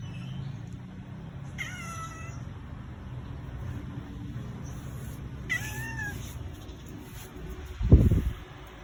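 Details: Domestic cat refusing to get off the vehicle, crying as the father and older brother leave; two clear, plaintive falling meows a few seconds apart, low engine rumble underneath and a sharp thump near the end.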